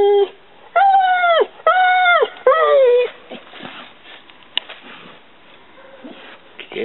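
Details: Mastiff dog giving three drawn-out, high, whining cries in quick succession, each tone steady then falling at the end, followed by a few seconds of quiet indoor background.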